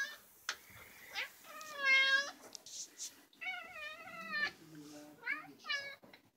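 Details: Fuzzy black domestic cat, very vocal, indoors: a series of drawn-out harmonic meows, some falling and some level, with short breathy hiss-like bursts between them.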